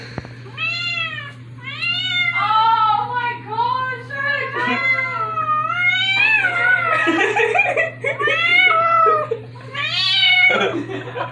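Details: A teased female pet cat gives a long series of about a dozen loud, arched, wailing meows in quick succession, some rising and falling, others harsher and strained, with a faint steady hum underneath.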